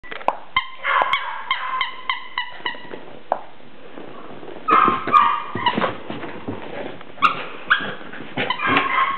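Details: West Highland White Terrier giving a run of high, clipped yips with bright overtones, then looser whining barks and scattered clicks; steady background hiss.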